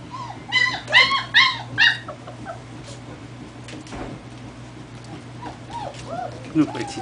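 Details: German Shepherd pups, four weeks old, out on a first walk: four loud, high, ringing yelps in quick succession, then softer arched whimpers trailing off, with a woman talking gently to them and a constant low hum.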